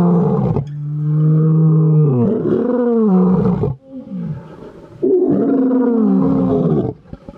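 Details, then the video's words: Lions roaring at a sanctuary: long, deep, moaning roars with strong low harmonics, two main drawn-out bursts separated by a short gap, ending with quieter grunts. "Best Lion Roars!"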